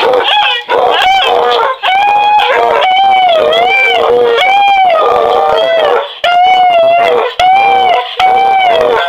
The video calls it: My Beagles Barking Their Head Off